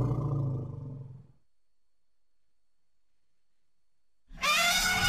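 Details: Baby elephant playing in its natural surroundings: a low, harmonic rumble fades out over about a second, then after a pause a loud, bright blast with stacked high overtones bursts in.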